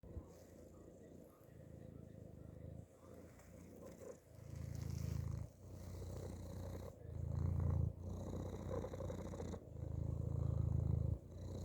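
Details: Cat purring from inside a hoodie, a deep steady rumble with rhythmic breathing bursts that grow louder in pulses roughly every two seconds, soft rustling of fabric beneath.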